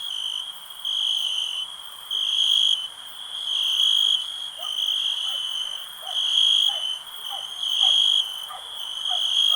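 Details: Crickets chirping in a steady high, ringing trill that swells into louder bursts about every second and a half, with faint short chirps from other callers lower down.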